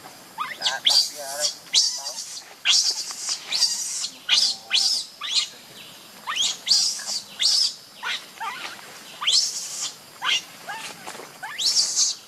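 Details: Baby monkey missing its mother, crying in a run of shrill, high squealing bursts about once a second, each sweeping up and down with bright harmonics, continuing steadily for over twelve seconds.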